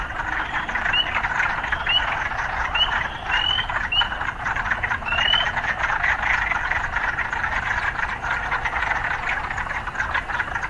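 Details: Urban frogs calling amid occasional sounds of city life: a continuous droning chorus with a handful of brief rising chirps in the first half, fading into steady buzzing and faint low rumble.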